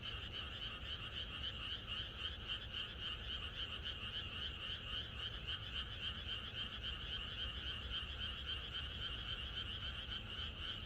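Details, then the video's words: On a countryside night before rain, a crowd of frogs keeps up a steady, fast chorus of pulsed croaks, evenly rhythmic and unbroken, against soft low background noise. "개구리들의 합창"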